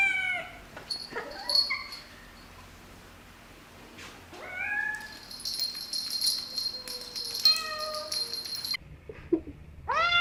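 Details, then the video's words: Domestic cats meowing in several short scenes: harmonic meows that rise and fall, some drawn out, separated by quieter stretches with background noise and a steady high hum in places. "Gatos Maullando | Cats Meowing"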